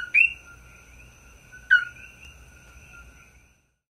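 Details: On Maui, 17 May 2024, a coqui frog gives its two-part call twice, a brief lower note snapping up to a higher chirp, roughly one and a half seconds apart, with a constant high tone behind.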